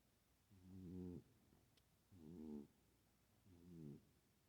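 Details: Female house cat asleep and snoring, louder than she usually does: three soft, raspy, buzzing breaths about every one and a half seconds, each swelling and fading, with quiet gaps between.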